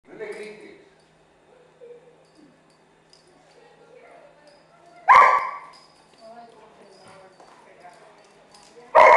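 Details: Female dog barking at a young pit bull puppy friend, after at first rejecting it and then warming up: two loud sharp barks about four seconds apart, with murmured speech at the start.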